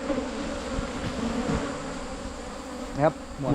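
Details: Buzzing of wild Asian honey bees on a 2022 honey hunt in Thailand: an even low drone carries on, then a short human voice cuts in near the end.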